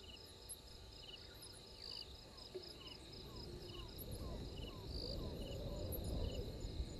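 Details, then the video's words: Insects at night, 03:44 on 12/04/21, at Gowrie dam waterhole, Djuma Game Reserve, Sabi Sand Wildtuin, South Africa, on a live camera: steady high pulsed chirping in overlapping layers, short falling mid-pitched notes repeating about four per second, low rumbling background. "Djuma: Insects"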